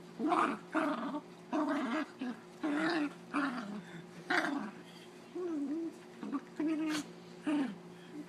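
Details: Dog making funny growling noises while play-fighting with another dog, a series of short, rough, moaning growls about every 0.7 seconds, each burst noisy and wavering, with quiet pauses between.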